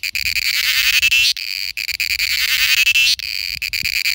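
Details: Shrill, pulsed buzzing from a cicada in India during its mating call, delivered in repeated phrases with a sliding tone that cuts off sharply every one and a half to two seconds.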